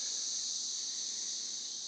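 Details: Chorus of 17-year periodical cicadas in Northern Kentucky, recorded weeks after they emerged from the ground: an unbroken, high, hissing drone holding level throughout.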